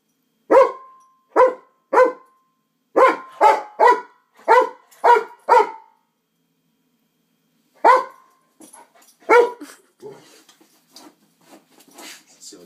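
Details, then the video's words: Moo Cow the dog barks at an LED hula hoop: loud single barks about every half second for several seconds, a pause, two more barks, then quieter whines and rustling. "Moo cow barks @ astral hoop"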